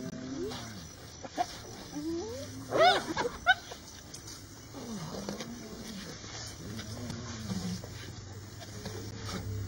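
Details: Hyena clan facing a lioness, filmed in Masai Mara; several rising and falling whooping calls overlap, with sharp higher squeals near the third second, over a low steady engine hum.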